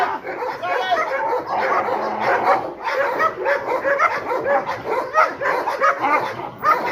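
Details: Rottweiler, previously fearful of people approaching, attacks in guard-dog training with a dense run of deep, harsh barks and snarling, a man's urging voice faintly audible underneath.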